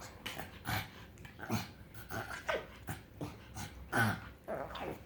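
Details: Pug dog making weird noises when happy: rhythmic snuffling grunts and snorts about twice a second, low and breathy, indoors.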